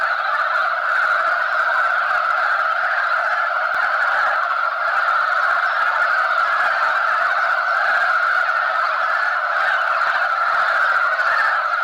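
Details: Male mountain frogs wrestling for females at a spawning gathering produce a continuous, massed croaking. The chorus stays level and mid-pitched throughout, slightly louder than elsewhere, with no silence between calls.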